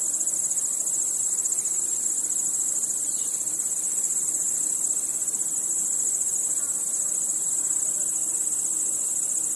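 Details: Crickets chirping at night as a continuous bright, high insect chorus, even in loudness throughout, with faint low tones in the background.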